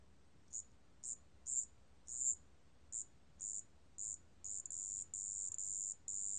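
A marsh bell cricket sings very high, thin chirps that lengthen into continuous ringing trills.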